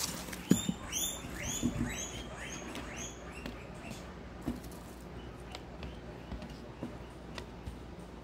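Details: A herd of guinea pigs at supper time, being fed a buffet of vegetables; a quick series of about six arched, high squealing calls over the first three and a half seconds, then soft rustling and scattered clicks of feeding.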